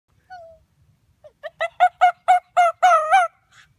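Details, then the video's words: A male pet Arctic fox howls in a quickening series of harsh, tonal yelps that swell into longer wavering cries, here after being given a treat he would rather hide for later. "Archer the arctic fox Howling"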